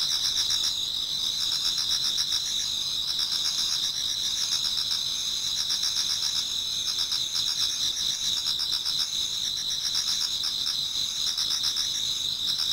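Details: Chorus of many autumn insects in a Japanese garden near dawn: shrill continuous ringing tones beneath bursts of fast pulsed chirping, about four pulses each second, with a quiet background.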